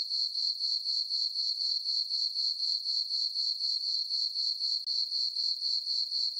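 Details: Crickets chirping on a peaceful summer night in a meadow on a farm under a full moon and dark skies: a steady, very high, shrill trill pulsing about four times per second, with no other sounds.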